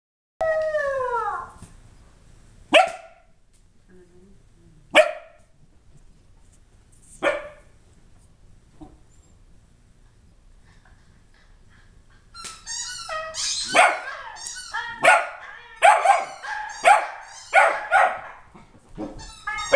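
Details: A corgi "singing" opens with a falling, drawn-out howl, then gives scattered barks and a burst of yipping howls, while another dog reacts.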